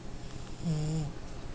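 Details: A French Bulldog, a tired puppy napping, snores with a single low, rumbling breath that drones steadily for about half a second. He is described as an extremely loud snorer.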